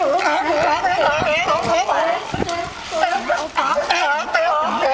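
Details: Sea lions singing and fighting: a dense chorus of overlapping wavering, harmonic barks and moans from many animals, calling almost continuously with short sharp bursts between.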